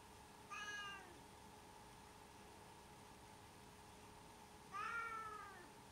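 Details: Domestic cat giving two drawn-out, slightly falling meows about four seconds apart, with a steady electrical hum underneath and quiet in between.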